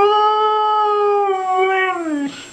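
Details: Husky pet dog "saying I love you" indoors: a long, steady, singing howl held at one pitch for about two seconds, then dipping downward at the close. Its owner replies with affectionate words.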